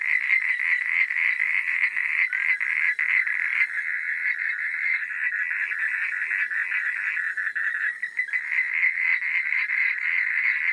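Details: Night frog chorus: many frogs croaking together in a steady, dense mid-high pulsing band, a brief dip near the eighth second before the massed calling resumes.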